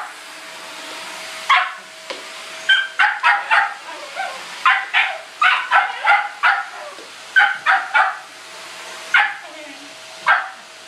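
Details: Pet Shetland Sheepdog barking at a vacuum cleaner it hates: a long, irregular run of sharp, high barks, some doubled or tripled in rapid bursts, with a constant vacuum hum beneath.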